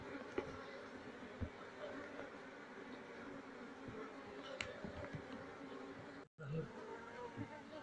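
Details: Wild Asian honey bee colony being moved into a cultivation box while its queen is still being searched for; a steady, low droning hum runs throughout, with a few soft knocks and clicks and a brief dropout near the end.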